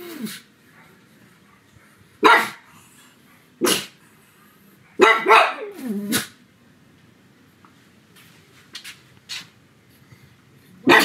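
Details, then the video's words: Pug named Sebastian barking loudly at home on a sunny afternoon: sharp single barks spaced a second or more apart, one drawn into a falling, whining howl, with quiet gaps between. "Sonido de PUG LADRANDO, muy fuerte"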